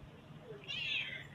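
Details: Cat giving a single short, high meow that rises then trails off. It is fairly faint over a quiet indoor background.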